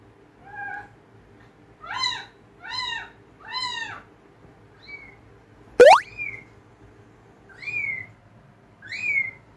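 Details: Domestic cats reacting indoors to the sound of kittens meowing: a run of short, arched, rising-then-falling meows in quick succession, a sharp click midway, then thinner, higher drawn-out meows with pauses between them.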